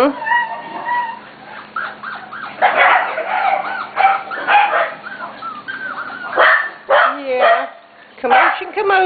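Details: Corgi puppies almost seven weeks old, from the litters of Katie and Venus, filmed June 28, 2013: a busy chorus of overlapping high whines, squeaky yips and short yelps arriving in bursts, with a person's voice at times.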